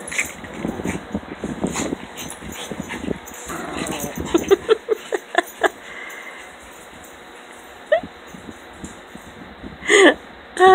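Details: Puppies at play in the morning, giving short yips and whimpering squeals in quick uneven bursts, several rising sharply near the end, with rustling and a woman talking nearby.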